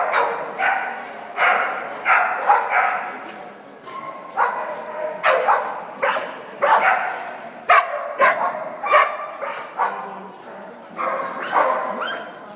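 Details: A dog barks again and again in short, loud, broad bursts, about one every second, with some bursts coming close together. A little speech can be heard in the background.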